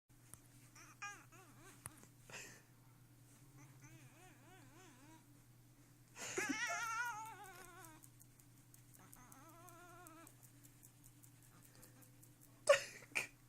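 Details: Xena, a pet cat, annoyed while being teased indoors, gives drawn-out wavering yowls with strong harmonics in several bouts, rising and falling in pitch. A harsh burst sounds midway, with faint laughter and voices around.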